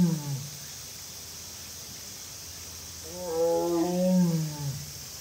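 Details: Amur tiger, a mother at Hamamatsu Zoo in Japan, recorded 20 August 2022, calling: a low tonal moan at the start, then a louder harmonic wavering call of about one and a half seconds, over steady high hum.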